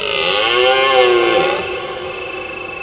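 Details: Deer roaring at night in autumn in the hills of Provence under a full moon: a loud, drawn-out, harmonic bellow lasting about a second and a half, swelling then slightly falling, with singing crickets behind.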